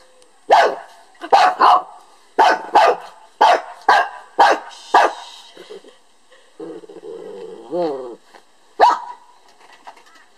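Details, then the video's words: Lhasa Apso attempting to bark a beetle to death; a rapid run of about eight sharp barks roughly half a second apart, then a pause with a whiny warbling sound and one final bark. "Sage - the lhasa apso - decides he has beef with a beetle... so attempts to bark it to death"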